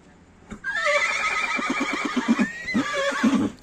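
A horse gives a loud, quavering whinny that starts high and shakes downward in rapid pulses.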